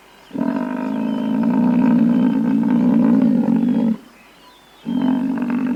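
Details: Sustained low buffalo bellow lasting around three and a half seconds, droning and even in pitch with strong overtones. After a brief silence a second call starts and runs to the end.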